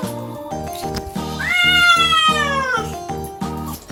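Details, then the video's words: Cat screaming through its very first bath: one drawn-out siren wail rising then gradually falling over about a second and a half, with a brief shorter cry after, set against looping background music. "태어나서 처음 목욕하는 고양이! 역대급 사이렌소리!"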